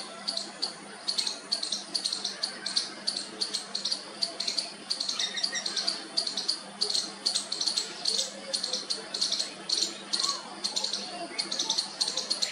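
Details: Calling to its mother, a baby squirrel keeps up a rapid series of thin high squeaks for over twelve seconds, clustered in quick bursts with short gaps, over low steady background noise.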